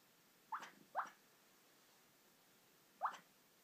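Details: Sleeping female puppy giving three brief, thin upward squeaks while napping, two close together, then a pause and a third; quiet indoor background.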